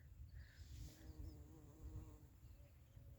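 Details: Honey bee collecting honey, heard as a faint, low, steady buzz with a few humming harmonic bands in the middle of the clip, over heavy rumbling low-frequency noise and a few faint high chirps.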